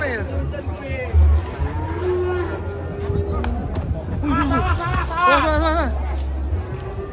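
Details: Rampaging cow coming down off a truck lets out a drawn-out low moo, mixed with people's voices and shouting and a steady low rumble.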